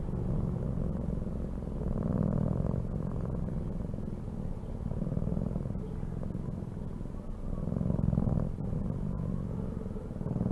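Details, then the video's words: A pet cat purring: a low, throbbing rumble in uneven waves of breaths, louder around the second and eighth seconds, with small clicks and rustles over it. "CAT SOUNDS"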